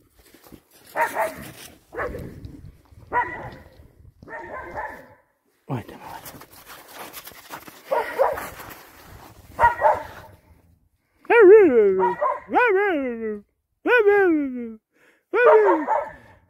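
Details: Laika hunting dogs barking as their owner arrives with treats after being away; several sharp barks in the first half mixed with a man talking, then four loud drawn-out whining yelps with falling pitch near the end.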